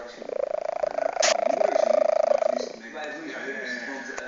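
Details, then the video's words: Snoring from a fat house cat: one long, finely pulsed, vibrating snore of about two and a half seconds, then a quieter, breathy stretch. "snoring cat"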